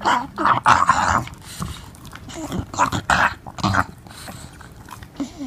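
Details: English Bulldog gnawing on a bone indoors, giving a run of rough, snuffling grunts and throaty growly noises in uneven bursts, loudest early on, with chewing sounds between them.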